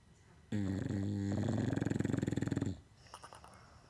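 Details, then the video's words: Sleeping English Bulldog letting out one loud snore of about two seconds, a deep harmonic rumble that breaks into fast rattling flutters near its end, then faint clicking sounds in a quiet indoor room. "English bulldog snoring like a cartoon character"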